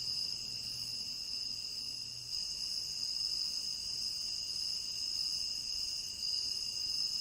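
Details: Crickets in a tropical rain forest, a steady dense chorus of high, unbroken trilling in several stacked pitch bands, with no pauses, over faint low rumble in the first seconds.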